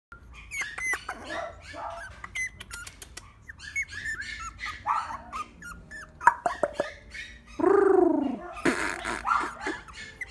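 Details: Puppies give a busy stream of short high yips, squeaks and whines, several at once, with one longer drawn-out whimpering cry near the end.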